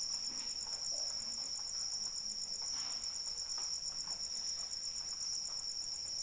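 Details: A high, even cricket trill pulses on and on through falling rain. Light drops tap and splash irregularly beneath the insect's constant song.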